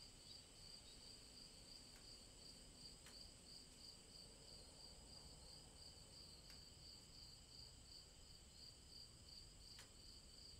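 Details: Cicadas in the woods on a summer day keep up a steady, high-pitched shimmering drone with a faint pulsing beat throughout.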